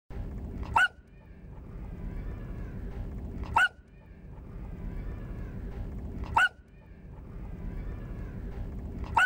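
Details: A beagle puppy barking for the first time gives short, sharp, high barks about every three seconds over a low background hum.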